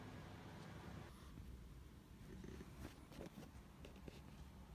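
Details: Kitten nicknamed Hatchan, the 'crusher princess', in February 2017, shortly before leaving for her adoptive home. A soft, continuous low rumbling purr runs through the clip, with light taps and rustles over it.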